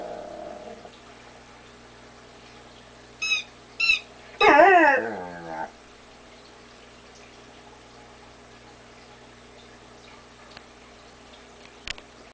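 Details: A male Weimaraner talks to his toy, giving two short yips and then a long wavering, warbling whine that rises and falls like talking. Afterward the room goes quiet apart from a faint hum.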